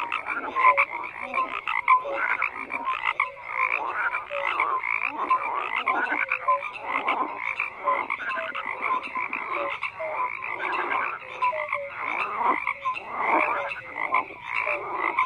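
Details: Many frogs calling at once, raspy pulsed croaks layered densely with recurring short tonal notes, a steady rhythmic chorus of even loudness and no other sounds.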